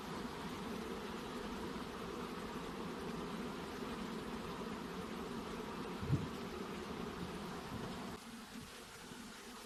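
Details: Honey bees at beehive boxes, swarming hum: a dense, steady low buzz with a rough, fluttering texture, continuous throughout, with a brief knock near the sixth second and a slight drop in loudness toward the end.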